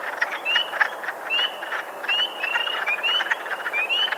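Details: Wood frogs at a vernal pool give low, clucking duck-like chuckles in a breeding chorus, with spring peepers' slurred rising whistles woven through.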